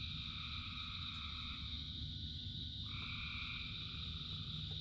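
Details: Frogs in the rain, one long buzzing trill that breaks off and then resumes over a steady high chorus, with heavy low rain noise beneath.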